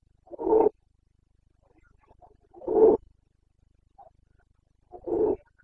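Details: Carpathian red deer stag roaring during the boncănit, the breeding season rut, in the Bucovina mountains on 29 September 2022: three short, harsh, throaty bursts, each under half a second and about two seconds apart, with near silence between them.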